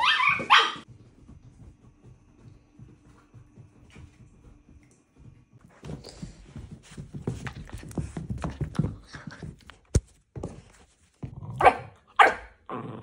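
An Italian greyhound gives sharp, high yelping barks in short bursts, with a person talking nearby.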